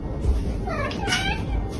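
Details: A domestic cat that often sounds as if it says "okay" makes a quick, soft, wavering meow against a background of steady room noise.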